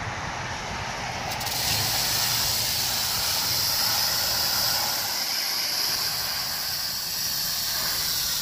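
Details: Rattlesnake, July 1, 2018, giving a continuous hissing rattle that begins about a second in and then runs evenly for several seconds, bright and high, like escaping steam, over a soft low background murmur.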